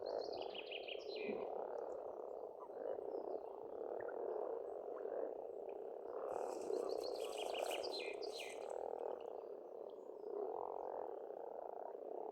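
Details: A spring chorus of frogs from a farmstead pond in Estonia: a steady, dense rumble of croaks, over which birds give fast, high, warbling phrases at the start and midway.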